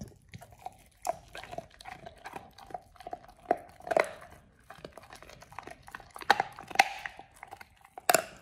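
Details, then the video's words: Pit bull Oliang works through a raw ostrich paw, a first-time snack meant to polish teeth and exercise the jaw. Quick bites and crunches roughly twice a second, growing louder and sharper toward the end. "Oliang the Pit Bull 1st time eats Raw Ostrich PAW [ASMR] BARF | MUKBANG 動物の咀嚼音 | 犬が生の肉を食べる"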